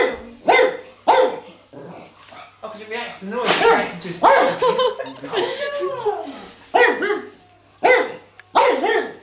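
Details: Pug dog barking excitedly at an electric toy bug, rapid rough barks and yips mixed with a drawn-out whining howl in the middle, the barks coming in quick irregular bursts.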